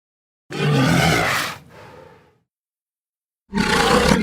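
A Pacific walrus gives a loud, rough roaring bellow, pauses, then starts another.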